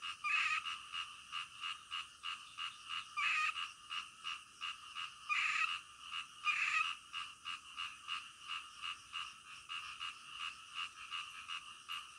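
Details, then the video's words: Frogs calling at night, a steady pulsing chorus of croaks centred in the upper-middle range, with louder bursts standing out every second or two over a continuous rhythmic background. "SUARA KODOK DITENGAH MALAM"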